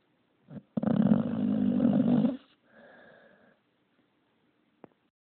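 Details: Gargamel, a pet pup, snoring up a storm indoors: one long, rough, rumbling snore lasting about a second and a half, followed by a softer wheezy exhale and a sharp click near the end.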